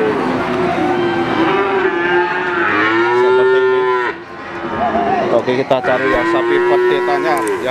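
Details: Cattle at the Wagenan cattle market in Pati, Indonesia: a long low moo of about two seconds, then more moos that rise and bend, amid busy market noise and clatter.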